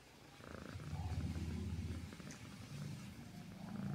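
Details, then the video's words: Domestic cat purring while asleep: a deep, rumbling low drone pulsing steadily about three times a second, swelling louder midway and easing slightly toward the end, with no other sounds. "Purring Cats while sleeping"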